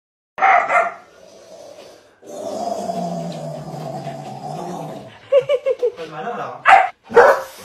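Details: German Shepherd puppy giving a short harmonic bark, then a person talking at length, followed by a quick run of four high yips and two sharp, loud barks near the end.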